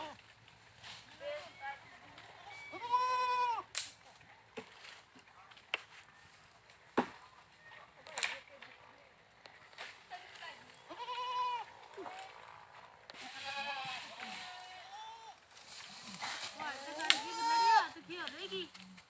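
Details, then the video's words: Goats letting out a series of quavering bleats, some overlapping in a busy stretch near the end, with knocks and voices mixed in between calls. "Funny Goat Sounds"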